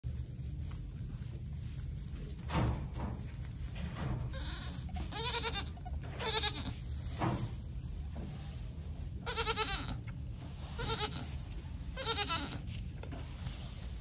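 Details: Newborn Pygmy goat kids being comforted at a farm in Knoxville, Tennessee, USA give several high, wavering bleats in quick succession over a low rumble.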